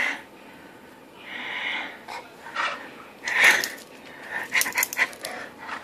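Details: Bulldog at play with its owner, recorded 20 August 2013: soft hissing wheezes and panting breaths, then a louder snort followed by quick raspy puffs near the end, all indoors.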